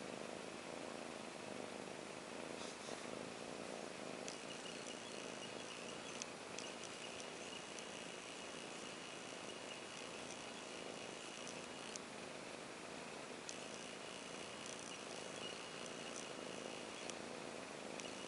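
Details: Buller the cat purring in a steady, continuous rumble that holds evenly for about eighteen seconds, a soft breathy hiss spread over the whole sound with no breaks or pauses, faint higher crackles now and then.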